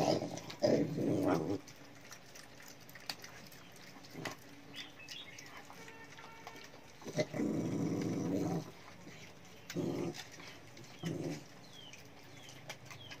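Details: Cute pet dog giving short rough growls in separate bursts near the start, middle and around ten seconds, with quiet handling noise between.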